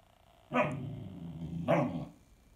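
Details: Overtired 16-week-old female Standard Poodle puppy, restless and talkative late at bedtime indoors, gives two short gruff barks about a second apart, joined by a low rumbling grumble between them.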